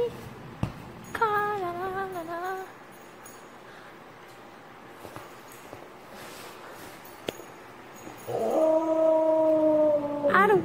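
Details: A lonely, grumpy female Samoyed arguing by howling: a wavering, whiny vocalization, a quiet gap, then a long steady howl in the final seconds, with a woman speaking to her.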